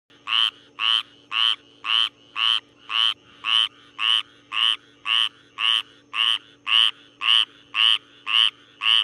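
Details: Syhadra frog (Minervarya syhadrensis) at night: sixteen harsh, buzzy croaks in steady rhythm, roughly two each second, each a short, bright burst, over a faint constant low hum.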